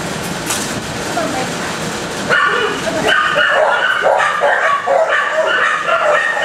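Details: Several dogs barking in kennels, a loud overlapping chorus of sharp repeated barks filling the second half, with a person talking and rustling during the first two seconds.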